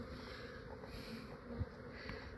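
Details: Honey bee swarm in a residential yard in Australia, fair sized and really quiet, being collected into a hive box: a steady low droning hum runs unbroken through the whole stretch, faint and even, with soft rumbling underneath.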